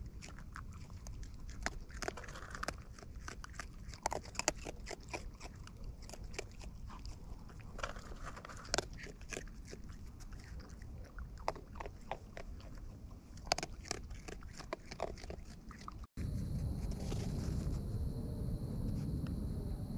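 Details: Wild raccoons feeding close up: rapid, irregular crunching and biting clicks for about sixteen seconds, then the sound cuts to a louder, steady noisy background.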